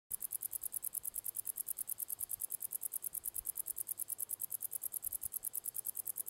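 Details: A male common wart-biter (Decticus verrucivorus) on 1 August 2020 at La Côte d'Urbul, France, sings a long run of high, dry ticks, about eight to the second.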